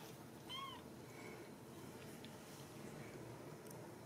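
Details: Ragdoll kitten at a home cattery in central Kansas, kept without cages; one short, clear mew arches up then down with bright harmonics, followed by fainter squeaks over quiet room noise and light rustling.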